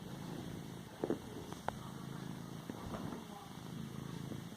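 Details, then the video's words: Pet cat padding a cushion, giving a low steady purr broken by a few soft clicks and taps from its paws on the pillow. "Cat padding a pillow , purring and a sneeze at end"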